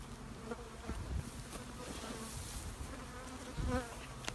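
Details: Low continuous hum from honey bees in a shed, a thick buzzing drone with occasional slightly louder passes as individual bees fly close.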